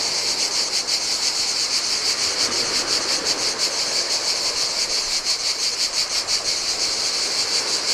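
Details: Shrill cicada chorus on a desolate Greek island beach by the Adriatic, singing in summer heat; a continuous high buzz throbbing in quick regular pulses, with gentle waves splashing underneath.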